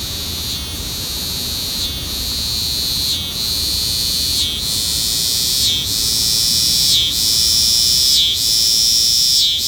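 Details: Singing cicada: a loud, steady, high-pitched electric buzz that briefly dips roughly every second and a half, then resumes at full strength, with no other clear sounds.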